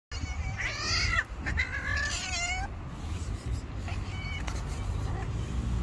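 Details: An angry white stray cat living on the street gives harsh, wavering meows and caterwauls, two long strained cries in quick succession followed by fainter calls, with low rumbling background noise.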